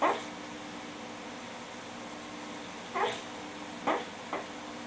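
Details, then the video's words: Sleeping English Bulldog making laugh-like snores: brief squeaky, wheezy snorts, one at the start and three more near the end, the last two close together, separated by quiet breathing over a faint steady hum. "English Bulldog Snoring"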